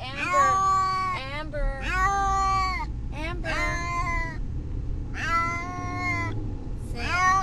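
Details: Brutus the Beefcake, a pet cat, distressed while riding to the vet, gives long, drawn-out, wavering meows that sound almost like a spoken name, about five in seven seconds, over a steady low car-engine rumble.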